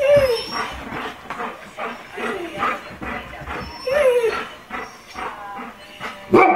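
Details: Household dogs join a coyote-like howling session, with a Golden Retriever and an Irish Setter named. Brief descending howls are heard near the start and midway. A sharp bark closes the sequence over soft background noise.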